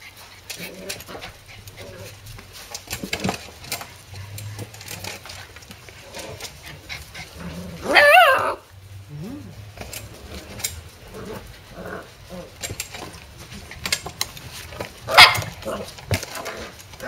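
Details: Corgi puppies, just woken from a nap, give a couple of sharp, high-pitched yipping barks against a quiet room with faint murmuring.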